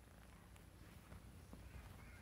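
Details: Sable classic tabby tuxedo RagaMuffin kitten, a boy, purring indoors while being talked to; low steady rumbling throb runs throughout, with faint clicks and handling noise over it.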